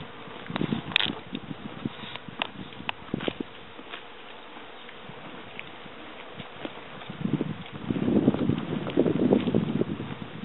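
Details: Bees fly around flowers whose petals have all fallen, still gathering nectar. A low, droning buzz swells toward the end, with scattered sharp clicks and taps throughout.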